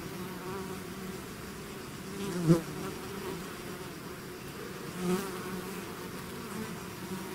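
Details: Swarm of bees out of their hive, buzzing steadily as a dense low drone with layered hum bands, two brief louder swells as individual bees pass close.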